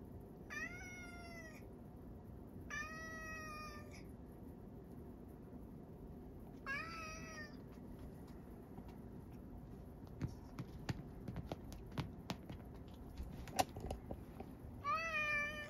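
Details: Sacchan, a male rescue cat living at Kazeno Kobo, meows repeatedly on Setsubun morning 2022: four clear, harmonic meows spaced a few seconds apart, with a run of light clicks and taps between the third and fourth.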